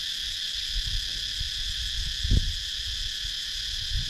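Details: Cicadas in a wooded countryside area of Sakon Nakhon, Thailand, recorded on a GoPro Hero 9: a steady, shrill, layered droning chorus without pause, with soft low thumps and rumbles beneath, one stronger knock midway.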